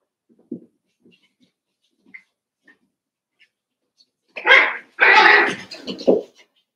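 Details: Five-week-old Cavalier King Charles Spaniel puppies in Daisy's indoor puppy pen. A few faint soft squeaks come first, then a loud burst of harsh, broadband yelping and whining that fades into one shorter cry.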